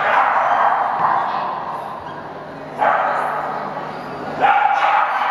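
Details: Welsh Terrier Loulou at the Welsh terrier club of Finland agility championships in Turku on 10 August 2013, running agility course A to a clean result; loud, harsh barks burst out near 2.8 and 4.4 seconds over a steady murmur of crowd voices.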